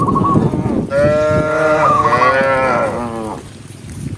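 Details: A tame cow being herded in the countryside among dozens of large cows gives a long, rich moo, rising slightly then wavering before trailing off.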